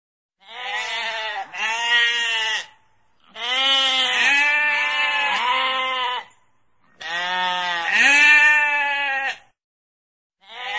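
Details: A sheep gives drawn-out, quavering bleats in three main bouts. Each bout holds two or three nasal cries that wobble in pitch, with brief quiet gaps between them.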